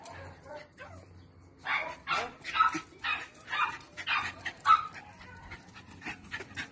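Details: Lenny, a Parson Russell Terrier registered as Attractive Aramis of Green Spirits, spending a weekend in Styria: after quiet low hum, a string of five or six short bright yaps follows, each roughly half a second apart.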